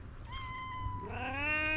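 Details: Tabby cat giving a booming, guttural meow: a steady tone starting around 0.3 s, then a louder, richer rising-falling meow from about 1.1 s to the end, with low hum underneath.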